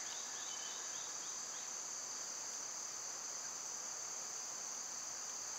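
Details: A summer insect chorus, chiefly cicadas, holds a dense, even, high hiss from start to finish. A few faint bird chips are heard only at the very beginning.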